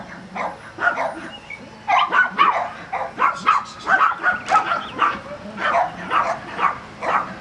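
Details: Border Collie during agility training at Vale do Sol, Guapimirim, Brazil, giving a string of short, sharp barks roughly every half second, some higher yips mixed in, with faint background noise.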